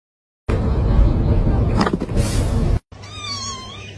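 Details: Domestic cat giving a wavering, harmonic meow about a second long, heard right after a loud burst of rough, noisy sound and human voices.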